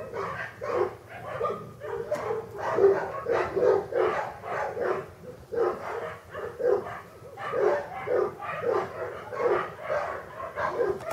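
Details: Kennel-bred English Cocker Spaniel puppies, born August 2011, produce a continuous tangle of high, wavering whines and short yelps, the chorus swelling and easing every second or so.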